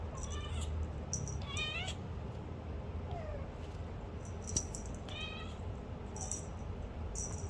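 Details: Kittens adopted on 14 October, now growing up at home; three high-pitched, thin meows, the first two falling and the last rising then falling, spaced across the stretch over a steady low rumbling background with light clicks and taps.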